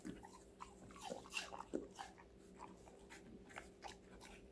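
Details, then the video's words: Crunchy vegetable snack for Connie, a female Golden Retriever puppy aged five months: sharp, closely spaced bites and crackling chews fill the whole moment over a low constant hum. "강아지 각종야채 먹방 l 사각사각사운드 🌿Various vegetavles🌿REAL SOUND"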